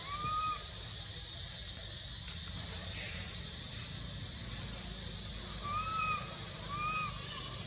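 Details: Spring at Angkor Wat and Bayon temple in Cambodia: a young monkey whistling for milk makes brief curved whistles, one at the start and a cluster near the end, over constant hiss and a steady shrill tone.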